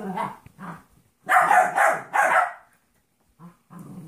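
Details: Play-fighting between Trouble, a 14-week-old golden retriever mix puppy, and Monkey, a small 2.5-year-old jack russell/rat terrier mix. Two short grumbles open, then three loud gravelly bark-growls close together, a pause, and faint grunts.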